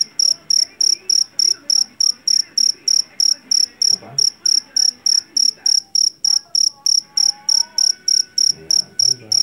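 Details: Javanese field cricket, the jangkrik jeliteng, caught in a rice field and recorded as its shrill call: loud, high chirps pulsing steadily about three times a second, with faint background sounds and a few soft tonal noises underneath.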